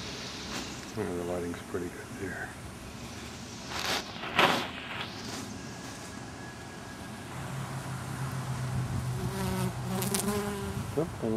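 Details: Male drone honey bees around their colony's oak tree in Tampa, Florida, the colony preparing to swarm off with a new queen; individual bees fly past in rising and falling harmonic buzzes over a low background hum, captured with a Panasonic PV-GS83 camcorder.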